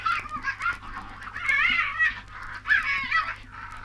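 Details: Several Tasmanian devils give harsh, raspy, wavering screeches in short bursts, roughly one every second, over a steady low hum; from a 1968 record of Australian wildlife recordings.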